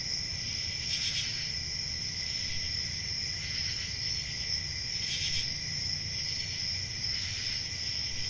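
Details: Summer night in the countryside with crickets: an unbroken high trill overlaid by stronger pulsing chirp bursts about every two seconds, and a steady low background hum.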